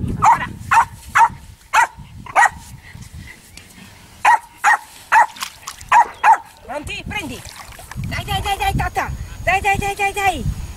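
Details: Jack Russell Terrier named Luna playing on a beach and in a canoe on the Coghinas river, Sardinia; about eleven sharp, short barks in quick bursts over six seconds, followed by a person talking.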